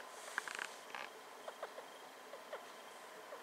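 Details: Star, a female pet hamster just over two years old, squeaks while sniffing around indoors: a few short, faint, high squeaks near the start, then soft scattered clicks and scratching in a quiet room.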